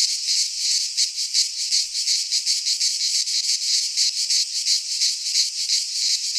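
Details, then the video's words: Cicadas singing in midsummer in a Greek pine forest: a dense, buzzy, high-pitched chorus throbbing in rapid pulses about three times a second, continuous with no other sounds. "Cicadas singing in midsummer"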